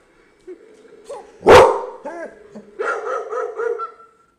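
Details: A dog barking at a computer gives one sharp bark, then several short whining yelps and a quick run of high barks, and is then reassured.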